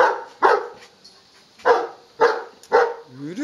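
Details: Dog barking while playing a ball-fetching game: four punchy barks at uneven intervals, each about half a second apart, ending with a brief rising whine.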